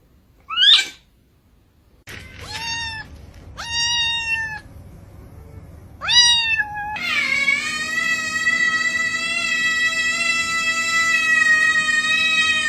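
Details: Domestic cat making weird sounds: a few short, arched meows with bright harmonics, spaced a second or two apart, then a long, drawn-out, steady yowl that holds for several seconds over a faint low hum.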